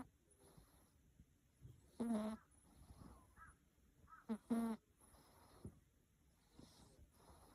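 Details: Sleeping cat snoring: two short nasal, buzzy bursts about two and a half seconds apart, each with a rough, tonal edge, against a quiet room with faint background hiss.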